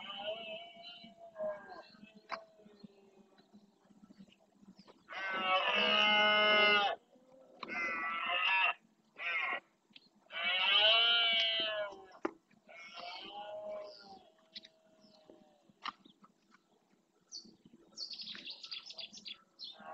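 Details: Marshland of Doñana National Park, Spain, in the rut: red deer males roaring to claim territory, a sequence of loud harsh bellows, one long, then shorter bursts and another long roar, with quieter calls before and after.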